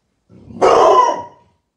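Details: Golden Retriever helping an old man push a cart. It gives a single loud, harsh bark lasting under a second, preceded by a faint low rumble, in otherwise quiet surroundings.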